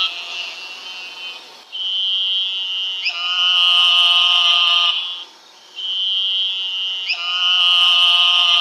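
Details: Eastern narrow-mouthed toads, Gastrophryne carolinensis, calling in the southeastern region: long nasal buzzes, each lasting one to two seconds, overlapping as several toads call in turn, with brief gaps of quiet between.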